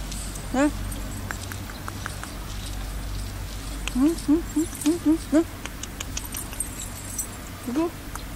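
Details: Stray dog hiding under wood, its cries suggesting it is unwell: short, high, rising whimpers, one early, then a quick run of six, then one more near the end, over steady low rumble and faint rustling.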